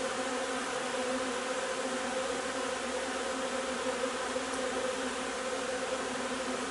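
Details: Colony of honey bees at the hive, foraging on linden blossom nectar in early June (3 June), giving an unbroken, steady humming buzz with stacked tones and no breaks.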